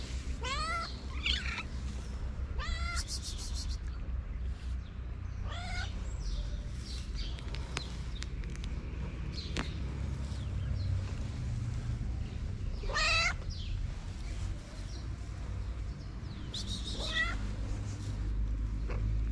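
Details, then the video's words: A calico cat in Morocco repeatedly meows for love and food. About six short, bright meows are spaced a few seconds apart over constant low background hum and occasional clicks. "A cute calico cat who asks me for love and food."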